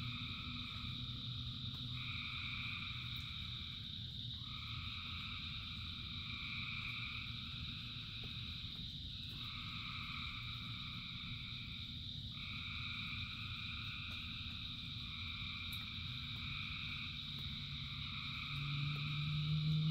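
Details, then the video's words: A mass frog chorus in rain, thousands of voices layered into steady droning bands. Bursts of brighter trilling come and go roughly every two to three seconds. Heavy low rain rumble underneath grows louder near the end. "Frogs in Rain 2 Hours of Frogs, Thousands of Frogs Singing"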